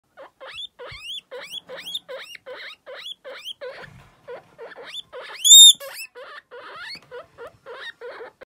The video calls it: baby guinea pig sound